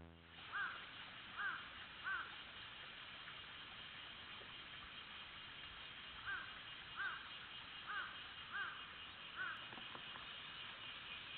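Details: Cicada chorus heard as a steady, hissing drone that never breaks, with a series of short, higher chirps from another creature scattered over it.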